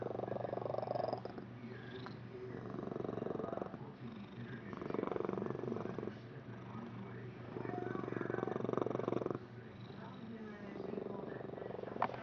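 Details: Pet cat purring in long rhythmic bouts, a rapid low rumble that grows louder for a few seconds, eases off, then builds again, with a small click near the end.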